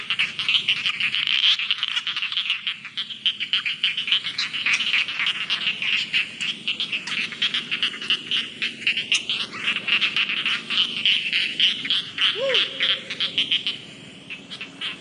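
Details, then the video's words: Rice field frog chorus of quick, grating pulsed croaks repeated about three and a half times a second, rising and fading in waves, with a brief lower whistled note near the end. "SUARA KATAK SAWAH"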